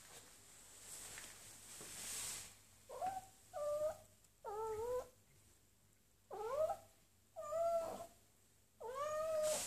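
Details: Kitten meowing because she wants to go outside: six rising-falling, harmonic-rich meows in two pairs and singles, each under a second, separated by short pauses, in a quiet indoor setting with faint hum.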